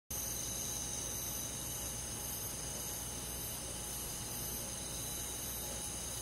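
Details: Crickets and other insects fill a summer night in a rural forest with a dense, even chorus of high, unbroken layered trills and faint pulsing chirps, holding steady over a soft background hiss.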